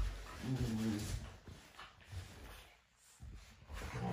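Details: Sparring Cane Corso puppies in the morning give a rough, tonal growl that rises and falls over half a second, then brief low grunts and a renewed growl at the end.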